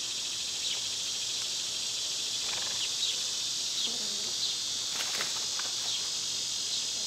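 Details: Cicadas singing in summer among other summer insects, a dense unbroken high buzzing drone that holds steady throughout, with brief chirps from birds scattered over it.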